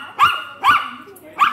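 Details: Poodle in the Philippines giving three short, bright barks, the first two about half a second apart and the third after a longer pause, with faint softer sounds in the gaps.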